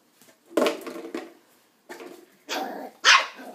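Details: Young West Highland white terrier puppy, nine weeks old, barking at an empty coke bottle indoors; a few rough, breathy barks ending in one sharper yap.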